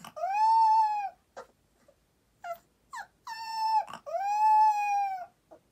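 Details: Boxer puppy singing at nap time, five o'clock: drawn-out whining howls, each about a second long and slightly arched in pitch, separated by short yelps and silences in a quiet room.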